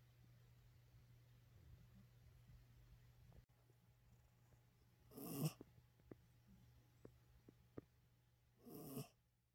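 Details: Coco the pet dog is sound asleep and snoring. Two raspy, rattling breaths arrive roughly three and a half seconds apart over a constant low hum, with a few faint clicks in between.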